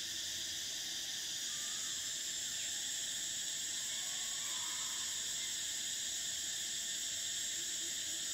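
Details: Cicadas in summer produce a constant piercing buzz made of stacked high-pitched layers that never pause, steady in loudness, with a few faint lower chirps flickering briefly underneath.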